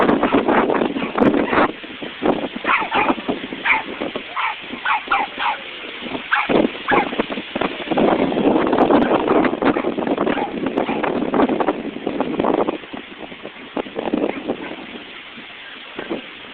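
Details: Dogs at a dog park, with Bella and Comso present: frequent sharp barks and yips in irregular bursts over a constant background of voices and general park noise.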